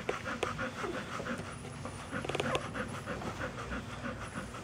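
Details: Rapid breathy panting from puppies, even huffs with a few sharper clicks and knocks midway, steady throughout.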